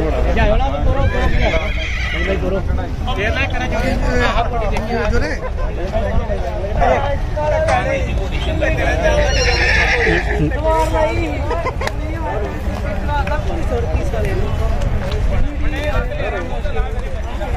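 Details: Horse whinnies at a crowded horse fair where a powerful stallion and mare clash; loud harsh neighs burst out near the start and again around the middle, over constant talking of men, crowd babble and some hoof clatter.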